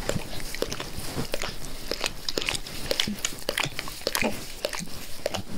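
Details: Pet dog Max licking a person's face with zeal, recorded up close in a small room; quick wet slurps and tongue clicks fall roughly twice a second in a steady, busy rhythm.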